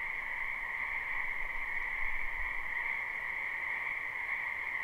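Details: Spring wetland frogs in live recording, their croaking fused into a continuous shimmering chorus with two even bands of pitch, with a brief low thump near the middle.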